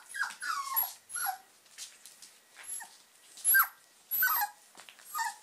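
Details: German Pinschers from the Ettaler Mandl kennel at play indoors: short high whining whimpers with falling slides, in bursts separated by pauses, amid scuffling and rustling of toys.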